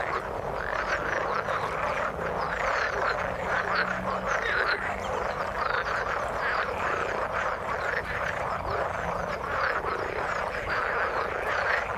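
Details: In the water, many frogs croak together in an even, continuous chorus of rattling calls, with a faint low hum running beneath during the first seconds.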